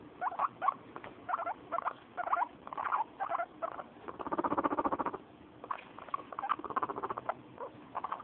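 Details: Female pet guinea pig, which purrs when happy, being handled. Short bursts of pulsed chatter repeat about once a second, with a longer steady rapid throbbing purr in the middle.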